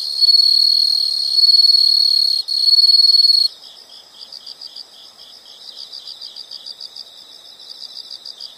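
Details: High insect trilling, loud and continuous for the first three and a half seconds with a short break, then quieter pulsed chirps repeating about four per second.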